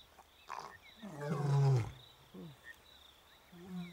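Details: Male lion in Africa, one of two roaming brothers about eight years old, roaring to call the females; a single deep, loud groaning roar swelling and fading over about a second, crickets chirping steadily in the background.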